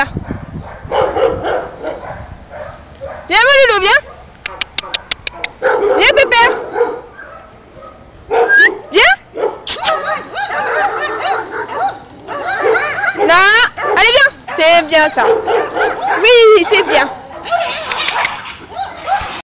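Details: Boxer dog vocalizing in a long run of whines and howl-like yelps that sweep sharply up and down in pitch, broken by short bursts of rapid yips and pauses between phrases.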